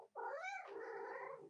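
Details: Female pet cat interrupting work at the keyboard gives one drawn-out meow, about a second and a half long, rising in pitch at first, then easing down and trailing off evenly.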